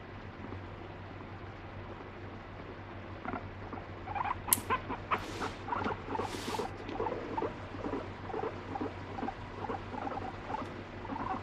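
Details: Angry pet guinea pig that bites and urinates when petting stops; quiet at first, then a run of short squeaky chatters, with a few louder rustling or handling bursts midway. No music.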